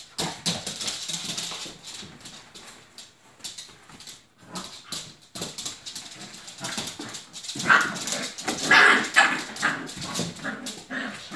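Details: Icelandic Sheepdog puppies playing in a ball pit: short high yips and whimpers cluster in the second half, over a steady rattle and clatter of tumbling plastic balls throughout.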